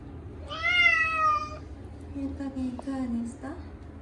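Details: Munchkin cat Chacha, short-legged, crying during his annual bath: a loud, long, slightly descending meow, followed by softer low murmuring sounds and small knocks.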